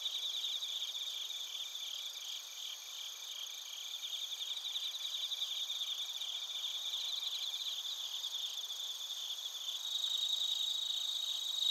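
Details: Bell crickets and other crickets chirping together in Narita, Chiba Prefecture, Japan, captured on a TASCAM Portacapture X8: a dense, high, shimmering chorus of rapid pulsed trills layered in several bands, steady throughout and swelling slightly near the end.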